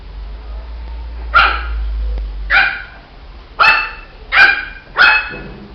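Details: Barking from a Shih Tzu puppy, five high yapping barks, two widely spaced then three in quicker succession, over a low background rumble.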